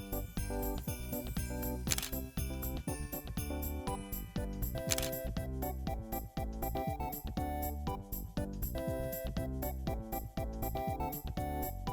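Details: Cheerful background music with tinkling bell-like notes and a regular beat plays throughout, with no animal call standing out.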